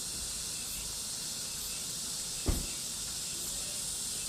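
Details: Cicadas in summer, a steady, dense, high-pitched hissing drone with no breaks and a faint shimmer at the top, plus a single soft knock near the midpoint.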